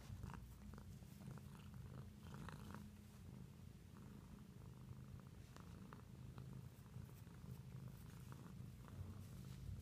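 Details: Pet cat purring steadily, a deep continuous rumble with soft alternating breath cycles and faint higher rustles throughout, recorded indoors.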